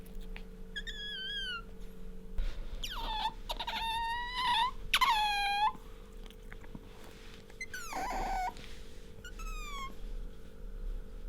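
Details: Pet otter named Bingo squeaking while rubbing up against its owner: high, harmonic-rich squeals that bend downward, given in short bursts of several notes with brief pauses, over a steady indoor hum.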